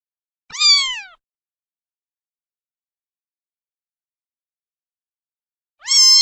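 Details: Kitten meow, a short high downward-sliding mew, then a long silence before a second mew begins at the very end.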